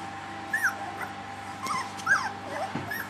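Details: Three-week-old puppies giving short, high whimpers that bend up and down, scattered irregularly over a faint steady hum.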